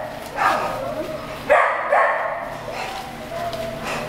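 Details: Young Beagle crossed with Mountain Cur puppies whimpering and yipping, with sharp bright yelps at a regular pace and softer whines between them, against a faint constant background hum.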